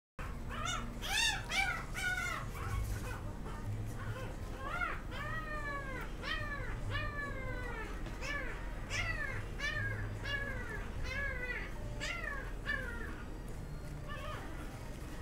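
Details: A female Golden Retriever puppy, born 10 December, at a puppy shop. She whines over and over in high, arched, nasal cries, roughly one every second, with a low hum in the background.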